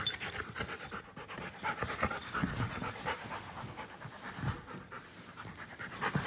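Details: Close, continuous panting from Klara, a giant schnauzer aged one year five months: rapid, rough, airy breaths roughly four per second, fairly even in loudness, with a faint high tone above.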